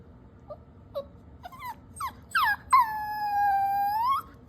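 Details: Dog whimpering after taking socks, sounding guilty while being scolded; a run of short rising whines builds into one long, steady, high whine of about a second and a half at the end.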